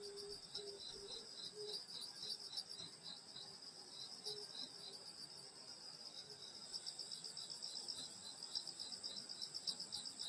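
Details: Summer night insects near a grandmother's rural house: a high continuous chorus with pulsed trills around four per second, lower chirps early on, and the shrilling growing stronger in the last seconds.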